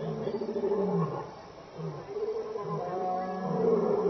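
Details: Loud roaring of a lion walking past Elephant Plains Game Lodge in South Africa, 26 May 2011, early evening 6-7 PM, contact calling; rapid deep pulsed grunts in quick bursts, close and powerful, over low background hiss.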